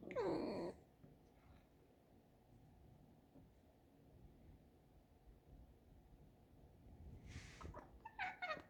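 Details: Tame fox kept indoors in a kitchen; a short, sharp wavering squeak opens, followed by quiet room noise, then a few brief squeaky calls and rustles near the end.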